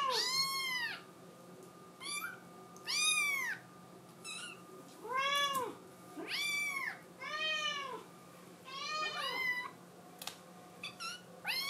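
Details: Scottish Fold kitten that badly wants to go out, crying indoors; repeated arching meows roughly every one to two seconds, clear and harmonic-rich, varying in loudness, against a quiet steady hum.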